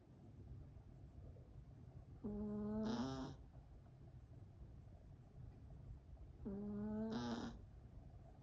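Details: Sleeping Yorkshire Terrier puppy snoring: two nasal, whining breaths about four seconds apart, each under a second, with a tonal squeak that rises slightly and ends in a breathy hiss, over a quiet low hum.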